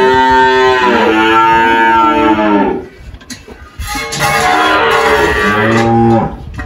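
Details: Girolando cow Malhada, aged 18, on a farm in Anápolis, Goiás, Brazil, who had just calved; two drawn-out, throaty moos about three seconds apart, the second rising slightly before fading.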